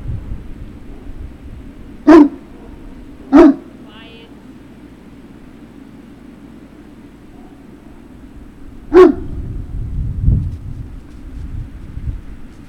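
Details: Great Dane puppies at Puppy Hill on 3 June 2019, afternoon: three loud, sharp single barks, two about a second apart and a third after a long pause, over a quiet low hum with a brief rustle.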